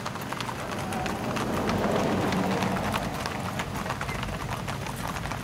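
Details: Tennessee Walking Horses at a trail ride in New Boston, Texas, with the Northeast Texas Riders: a steady run of clip-clopping hoofbeats, about three per second and loosely regular, with faint voices in the background.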